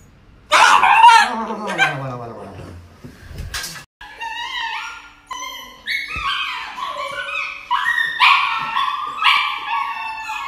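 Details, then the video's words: Dog getting an injection, whimpering and yipping in a run of short, high, rising cries repeated several times a second, after a brief burst of human voices at the start. "Funny Dog Injection videos Dog Injection Funny Compilation"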